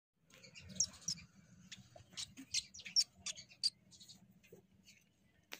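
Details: A young shrew being returned to its mother gives rapid, irregular, very high-pitched squeaky chirps, some sharp and bright, scattered over a faint low hum.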